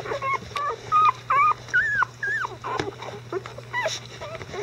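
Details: Icelandic Sheepdog puppies at 11 days old, getting mobile and verbal beside their mother Gaela; distinct rising-and-falling whining squeals, about a dozen short cries in quick succession over a faint low hum.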